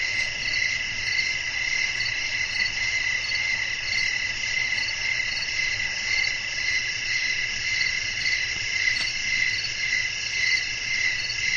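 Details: Night-time cricket chorus with wind: continuous shrill pulsed chirping, roughly two pulses each second, several overlapping high bands forming a steady bed of sound, soft low rumble beneath.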